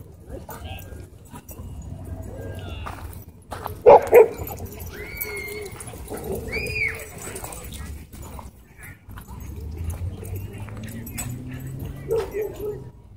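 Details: Dogs during a fight at a dog park, a small white dog launching at and biting a German Shepherd: a sudden loud burst of sharp barks near the middle, then a few short yelping cries, with human voices and background murmur.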